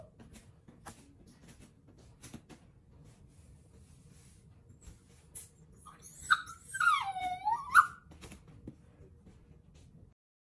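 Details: A Shih Tzu Poodle puppy named BoJolie, jumping around the table indoors trying to get breakfast, gives a single drawn-out, wavering whine that rises and falls, amid faint clatter and taps of the room.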